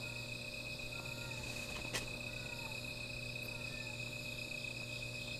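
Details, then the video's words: At night by a small fire, insects keep up a continuous shrill trill, joined by a sharp crack near the two-second mark and faint soft voices over a low hum. "Sound of Insects"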